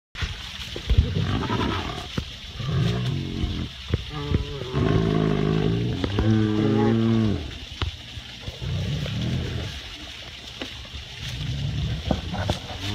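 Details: Two captive tigers sharing a habitat at an animal sanctuary greet each other with chuffing, a non-threatening greeting sound; low breathy pulses and rough vocal bursts in the middle, amid background noise.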